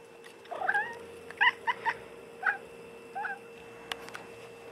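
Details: Tobie, a pet cat, stares out the back door at birds on a weekend, giving his odd meow: a quick run of about seven short, clipped, chirpy mews in bursts over three seconds, then a faint tick, in a quiet room with a steady hum.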